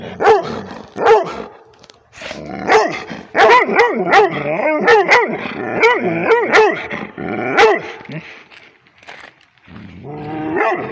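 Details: Rhodesian Ridgeback dog reacting to a tablet with loud, close, bouncy, yodel-like barks that swoop up and down in pitch, delivered in quick strings with a few brief silent breaks.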